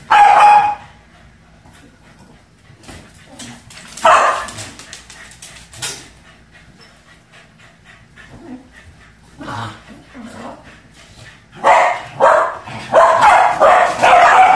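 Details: Two Pembroke Welsh Corgis playing with a balloon indoors, giving sharp, excited barks and yips in irregular bursts, some single and some in quick clusters, with quiet gaps between the outbursts.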